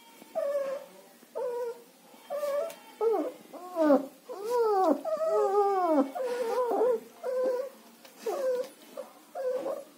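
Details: German Shepherd puppies in Chennai, up for sale, give a busy run of whimpers and yelps, some arching up then down, packed closely mid-clip and spaced out again toward the end.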